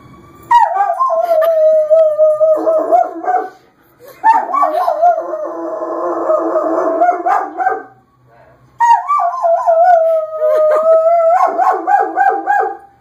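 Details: Pet German Shepherd Jamie mimicking a fire engine's siren with three long howls, each opening with a rising swoop, holding a steady pitch and ending in quavering, yodelling breaks, short pauses between bouts.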